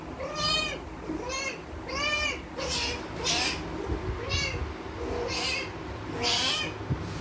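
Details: Mandy, a spayed domestic cat in heat for 19 days with ovarian remnant syndrome, gives about eight drawn-out harmonic meows in steady succession. Faint low background hum runs underneath.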